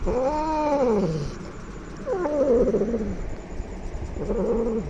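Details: Aggressive, angry cat producing three lower, rough moaning yowls that rise and fall, the second broken and quavering, the third short, over a steady background hiss of room noise.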